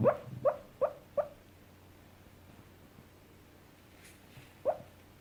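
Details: Coco, a nine-year-old brown cockapoo, yelps while dreaming in sleep: four short, sharp yips about every 0.4 seconds, a few seconds of quiet with low hum, then one last yip near the end.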